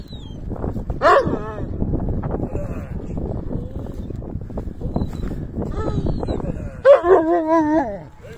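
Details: Sarabi dog from Iran, an ancient large breed, whining after seeing a female dog it wants to play with: two wavering, high-pitched whine bursts near the start and about seven seconds in, amid rustling and background noise.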